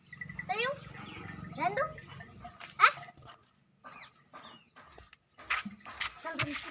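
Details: Mewati goats at a goat farm in Alwar: three short harmonic bleats rising in pitch over the first three seconds, followed by scattered softer sounds and brief noisy bursts near the end.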